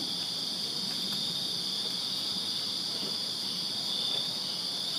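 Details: A steady chorus of crickets chirping in a backyard in Virginia on a summer night, high, bright continuous trilling from many insects, evenly sustained with a weaker upper band and light background hum.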